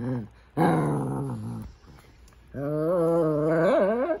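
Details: Indoor Shih Tzu dog seemingly trying to talk to its owner: a drawn-out low growl lasting about a second, then after a pause a long wavering moaning growl with a rising whine at the end.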